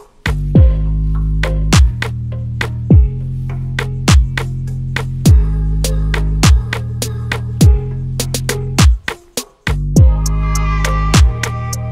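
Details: Hip hop music plays throughout, with heavy bass drum hits about once a second and no animal sound.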